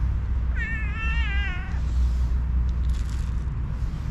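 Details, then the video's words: Hungry cat, one of five sleepy cats, meowing for food: a single drawn-out wavering meow with rich harmonics lasting about a second, over steady low rumbling background noise. "Five sleepy hungry cat | Meows for food"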